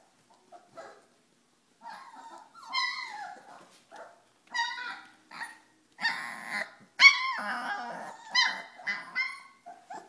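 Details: Four-week-old Pyrenean Mastiff puppies from Nikita de la Tierra Alta's litter at play, giving a string of high, squeaky yelps and short whiny barks in separate bursts, louder and busier toward the end.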